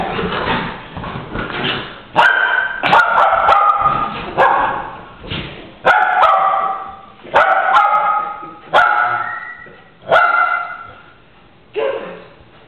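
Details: Strudel and Moxey, two dogs play fighting, January 2011: after scuffling growls, loud strained barks and yelps sound roughly every one to two seconds, each fading quickly, with brief scuffles between.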